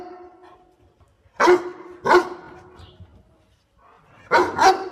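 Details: Dog barking as it helps its owner pick water spinach: two loud sharp barks about half a second apart, a pause, then a double bark.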